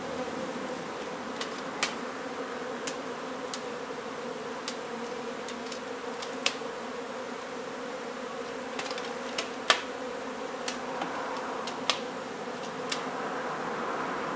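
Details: Honey bee hive in an old home being renovated in Donna, Texas, during its safe removal and relocation. A constant mid-pitched hum runs throughout, punctuated by irregular sharp taps and clicks roughly every couple of seconds.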